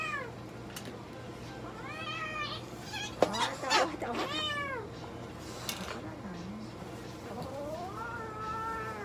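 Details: Minuet cat meowing during a blood draw at a veterinary clinic in Nagoya, Japan; several rising-falling harmonic meows and a long upward-sweeping cry, with voices of staff and clinic background hum.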